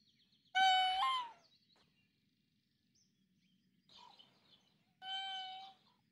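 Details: Raccoon dog, or tanuki, heard from the forest: a strong harmonic whine that jumps upward in pitch partway through, a faint brief sound near the middle, then a second clear whine, over a low steady background hum.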